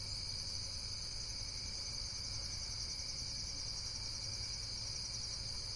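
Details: Unbroken insect chirring: several layered high, buzzy trill bands sustained without pause, backed by a faint low rumble.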